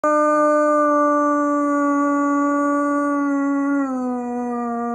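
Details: German Shepherd. A German Shepherd holds a sustained, rich howl on an even pitch for several seconds. Toward the close the tone steps down a little and carries on at a lower level.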